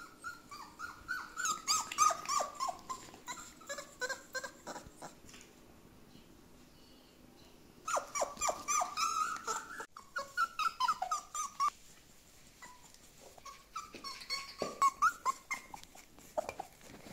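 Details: Home socialisation of Border Collie puppies: loud, repeated whimpering in three long bouts of rapid, pulsing, high whines with falling slides, separated by brief quiet pauses.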